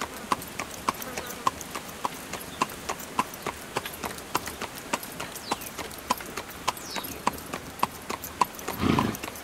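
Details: Carriage horse trotting along, its hooves striking in a steady, crisp clip-clop of roughly a hundred beats a minute, ending with a short, louder rushing burst.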